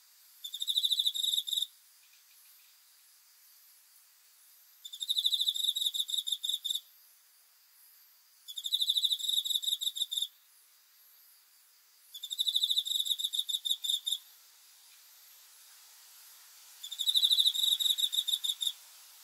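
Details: Night-time cricket song in five evenly spaced bursts of fast, shrill pulses, each lasting under two seconds and recurring roughly every three and a half seconds over a faint steady hiss.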